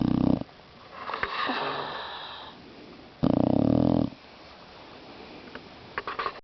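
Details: Sleeping Boxer mix named Louis snores loudly: two deep, rattling snorts roughly three seconds apart, each followed by a long breathy, wheezing exhale, with a few faint clicks near the end.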